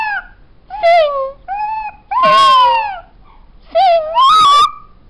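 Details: Black and tan female New Guinea singing dog indoors producing a series of whining, bending howls, some short and flat, others loud and sliding downward, spaced by short quiet gaps.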